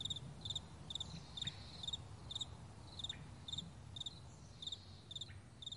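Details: Meadow crickets in the morning giving bright, high chirps built of rapid pulses, repeated about twice a second, with occasional faint downward-sliding calls and a low, steady background rumble.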